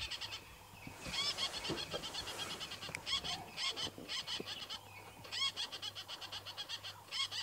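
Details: A squirrel in a balanites tree at Twin Dams, Djuma Game Reserve, gives agitated alarm calls in fast bursts of sharp, high, clicking chatter at sunrise on 18 April 2017, with another calling nearby.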